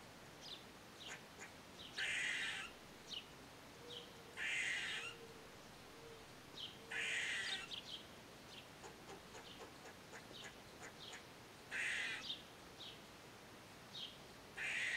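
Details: Eastern gray squirrel, captured on a Nikon D3500 with a Tamron 500mm lens, giving a series of rasping, nasal buzzes roughly every two to three seconds, interspersed with quick clicking chips and a faint low hum.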